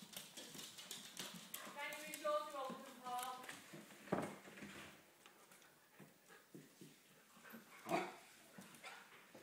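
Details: English Springer Spaniels play fighting: father Gunnar, mother Kala and puppy Diesel. A high, wavering whine runs from about two to three and a half seconds. Scuffling thumps and scrabbling follow, with a sharp burst near the end.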